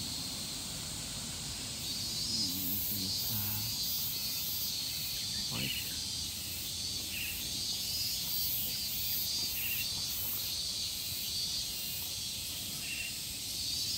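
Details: Shrill pulsing insect chorus of evening cicadas in Japan, with rhythmic bursts repeating across the high band, a few faint low murmurs early on and a short sweeping sound partway through.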